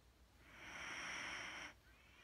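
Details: A single drawn-out breathy hiss from sleeping Wheaten Terrier Mattie, steady for about a second before stopping abruptly, with faint hum behind it.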